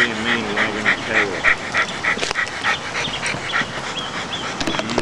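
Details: Springer Spaniel during an evaluation, panting in quick, even breathy pulses about three times a second for most of the stretch. A brief voiced murmur opens it, and the pulses fade into quieter rustling near the end.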